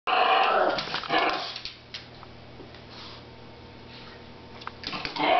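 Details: Chihuahua growling at another dog under the table: a short burst of rough, buzzy growling with a snarling edge in the first second, then fading to near silence with a low steady hum.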